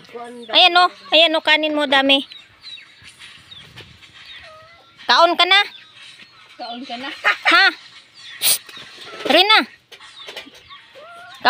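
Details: A cat in a rural village setting gives a series of rising-and-falling, wavering meows in short bursts, some drawn out and bending downward. A person speaks in Indonesian in between, and faint background chatter is heard.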